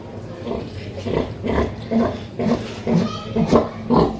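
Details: Mother pig with her piglets, a noisy pig family: low rhythmic grunts repeated roughly twice a second, some rough and others more tonal, with a low background hum throughout.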